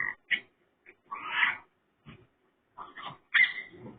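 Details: Pig-like calls from a raccoon: irregular short chirps and squeaky bursts, then a longer rasping squeal, and after a pause a cluster of nasal grunts ending in a high, strained squeal.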